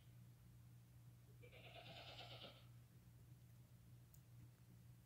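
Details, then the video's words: Newborn lamb less than five hours old, crying while walking and nursing with its mother on the day of birth; one clear quavering bleat about a second long, over a steady low hum. "Newborn lambs walking, crying, and nursing with mother"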